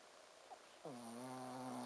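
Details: Ponzu, a Shih Tzu dog, snores in deep sleep with a 'buu, buu' sound: after a faint snuffle, a single drawn-out, nasal, harmonic snore holds a steady low pitch for about a second over a quiet room hiss.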